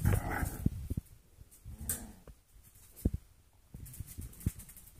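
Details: Playful foster puppies, golden retriever mixes just four weeks old, let out a brief harmonic yelp-like grumble at the start, followed by scattered taps, scuffles and faint whimpers in a quiet room.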